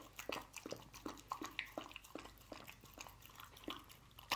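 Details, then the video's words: Canned dog food being eaten by a dog named Lucy indoors: spaced, sticky smacks and tongue clicks about every third of a second, with a louder bite near the end. "Dog Eating Canned Dog Food"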